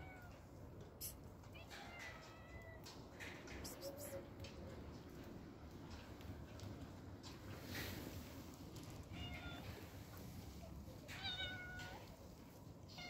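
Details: Street cat, one of the homeless cats, giving several short, fairly faint meows spread across the recording over a constant low outdoor hum and scattered clicks.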